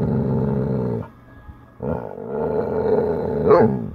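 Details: Chocolate Labrador Retriever in a mood to play, being very verbal: long, rough, low growling grumbles lasting about a second each, with a short pause, then a sustained rising growl ending in a brief yelp-like peak.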